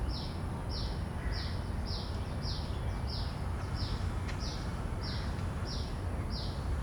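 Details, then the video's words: Common cicada recorded in the field on Sennheiser 416 and Deity shotgun mics: eleven clipped, high-pitched rasping pulses evenly spaced about 0.6 seconds apart over a steady low background rumble. "Calls of a Common Cicada"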